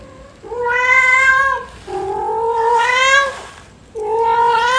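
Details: Yuanbao, a pet cat, meowing loudly early in the morning, wanting more food just after eating; three long drawn-out harmonic meows, each over a second, with short pauses between.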